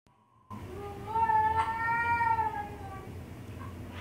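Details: Pet cat giving one long drawn-out meow, steady then gently falling, about two seconds long, in a quiet indoor room.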